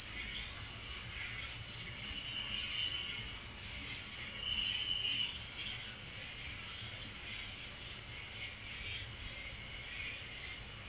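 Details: Crickets chirping after dark: a constant piercing high trill dominates, while quieter, lower chirp bursts swell and fade at irregular intervals.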